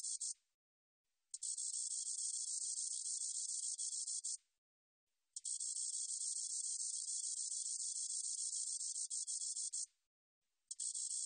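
A spotted meadow katydid gives a high, hissing buzz in long continuous bursts separated by brief pauses.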